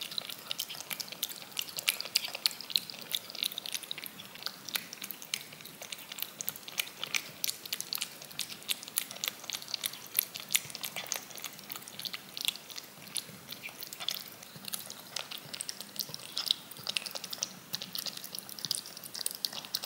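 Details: A cat licking yogurt off a spoon, looped; steady rapid wet clicks and soft smacks of the tongue, several per second and sharp and high, with no voices or other sounds.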